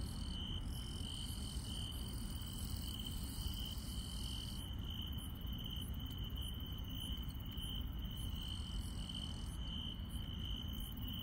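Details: Night chorus of grass insects in rural countryside, a continuous shrill trill holding one pitch throughout while sharper, very high clicking pulses repeat over it; heavy low-frequency rumble fills the background.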